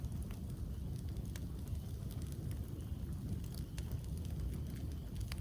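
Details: Steady low rumbling roar like a crackling campfire or wind, with scattered sharp pops and no animal calls.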